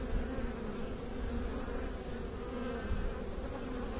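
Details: Continuous bee hum, low and rumbling with a faint steady tone layered on top, unbroken from start to end.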